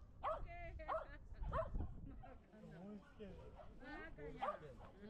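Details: Shetland Sheepdog at a dog run, shy around other dogs. Four sharp, ringing barks come in two pairs, with a long gap between the pairs, mixed with people chatting in Japanese.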